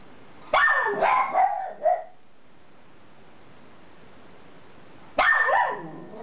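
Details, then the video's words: Household Miniature Schnauzers, George in a red collar with the household's highest-pitched noise and Ralphy grumbling; a cluster of shrill, wavering barks, a long quiet gap, then one more piercing yelp-like bark. "Mini Schnauzers barking HIGH PITCHED"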